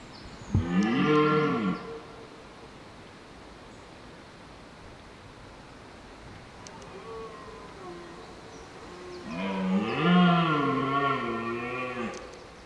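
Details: Red deer stag in the rut holding hinds in woodland, wild. Two long, deep roars with strong harmonic bands, one at the start lasting about a second and a half, another around ten seconds, with a quieter grunting call between.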